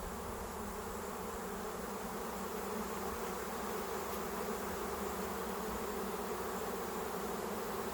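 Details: A huge August swarm of western honey bees (Apis mellifera) lands on a swarm trap left out since spring, giving a dense, steady, continuous hum without pauses.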